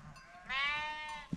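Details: Himalayan mountain sheep ram during an angry ram battle gives one drawn-out, tremulous, nasal bleat of almost a second, rising in strength and fading at the end against a quiet background.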